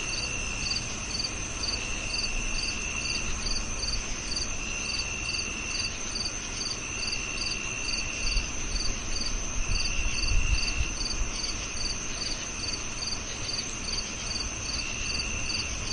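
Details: Cricket calling in a fast, even series of about two to three high chirps per second, against a steady insect drone; a brief low rumble swells near the middle.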